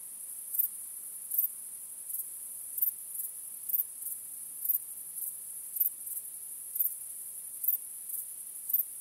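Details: Crickets at night, starry sky: an unbroken high, fine trill punctuated by sharper chirps at roughly one-second intervals, against a quiet background.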